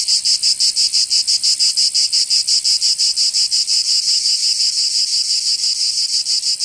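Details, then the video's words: Summer cicada chorus from Provence in southern France, a shrill, steady buzz pulsing about three times a second in a very regular rhythm, filling the whole stretch without pause. "Canto Cigarra 🦗 [ Escuchar les cigarras en verano 10 H]"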